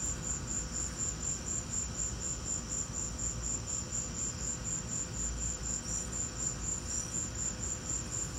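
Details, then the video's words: During a lightning storm, crickets keep up a brisk series of shrill pulses, around four each second, steady throughout, layered over continuous low rumbling noise. "Lightning and crickets!"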